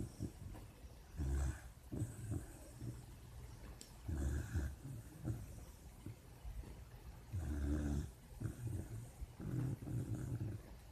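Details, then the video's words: A sleeping puppy snoring while it dreams: low, rough rumbling snores come in uneven bursts every one to three seconds, with quiet breathing between them. "Puppy dreams and snoring"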